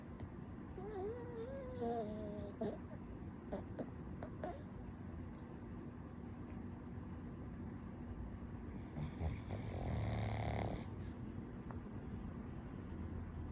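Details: A pug asleep in the morning snores heavily, a low rumbling rasp that runs through the whole recording.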